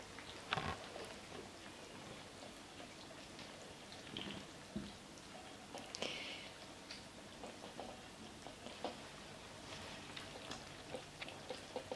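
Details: Light patter and faint rustling noises indoors, like small drops or handling sounds, with no animal calls.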